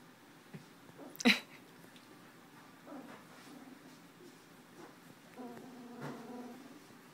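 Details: Tucker x Libby pups about two weeks old, just beginning to walk, January 2012: a sharp click or sneeze-like burst early, then a cluster of thin, wavering whimpers near the end over a quiet room background.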